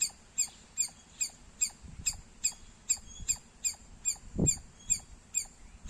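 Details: Shrill squirrel chirping repeated about twice a second, sharp high notes with slightly irregular rhythm, interrupted once by a brief dull thump in the background.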